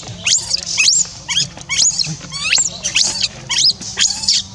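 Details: Young orphan monkey named Rainbow, left alone, crying to call someone back: high, thin squealing cries that sweep steeply upward, about one each second, some wavering and slightly hoarse.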